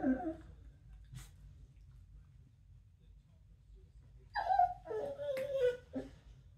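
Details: Harper, a corgi playing bitey face on the floor, makes funny whining, groaning noises: a short wavering moan at the start, then a burst of higher whimpering, grumbling vocalizations with a scuffling thump, indoors.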